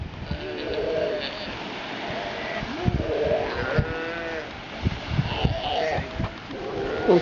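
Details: Sea lion on Santa Fe, Galapagos, being spoken to by a visitor near its sleeping mother; several wavering, harmonic bleats rise and fall, mixed with a man's quiet talking and a sneeze.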